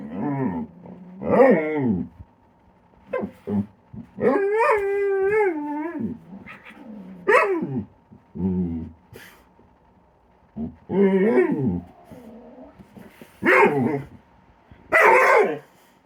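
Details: Playful dog Kilo, who snaps at air to give Korra something to bat at: rough barks and yelps, a two-second quavering howl, and several bending whines and yips in irregular bursts with short silences between.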